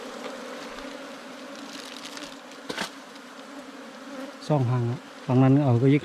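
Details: Ground-nesting wild bees, a small cavity-dwelling bee whose underground nest is dug out by honey hunters; a continuous low hum fills the first seconds, then loud human voices take over near the end.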